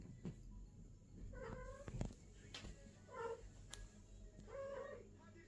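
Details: A female British Longhair cat at her first mating gives drawn-out, wavering yowls over a low background hum.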